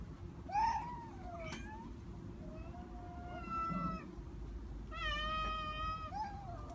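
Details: Cat in an attic giving several drawn-out meows, some rising then falling, with a long harmonic-rich wail near the end; a low background rumble runs throughout.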